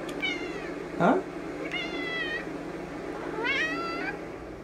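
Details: Domestic cat meowing indoors: three high, drawn-out meows rich in overtones, the last sweeping up then down, spaced about a second and a half apart, with a brief lower vocal sound between the first two.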